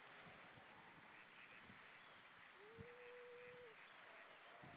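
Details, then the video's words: Seal on the right, playing, recorded 4 May 2013 at 06:17; one drawn-out tonal call sweeps up, then holds level for about a second at mid pitch, over a steady hiss and scattered low thumps. "Seal on the right playing"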